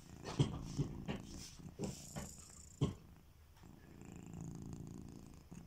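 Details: Sleeping house cat Kitiboy snores with slow, uneven low rumbles, about one breath every two to three seconds, with a few sharp clicks and quieter rasping breaths between them.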